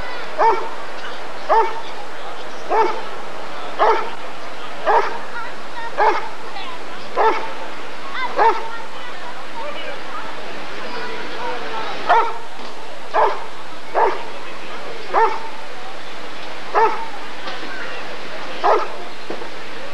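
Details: Sustained series of about twenty sharp barks, nearly one per second with a brief pause midway, from a Rottweiler at the 1994 ADRK Körung breed survey, human voices faintly mixed in.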